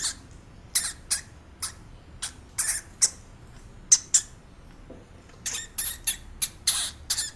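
A hamster gives short, sharp, high squeaks in irregular bursts against a quiet background.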